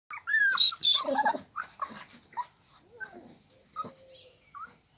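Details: American Staffordshire Terriers at a breeding kennel in Lavello, province of Potenza, Basilicata, Italy; high yelping whimpers with bright, wavering tones come in a quick burst, then fade into softer, scattered squeaks.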